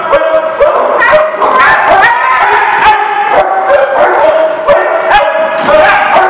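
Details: Dogs barking in quick succession at a lot on 23 March 2019; loud overlapping yips and barks, several voices, repeated many times a second with sharp clicks between.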